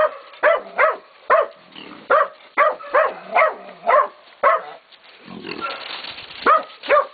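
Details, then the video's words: Pups of Catahoula and BMC breeding, 16, 11 and 14 weeks old, baying a pig at Golden Creek Catahoulas Kennel; a steady run of sharp, evenly spaced barks, then a brief noisy scuffle before barking resumes. "Deuce and Gang Baying"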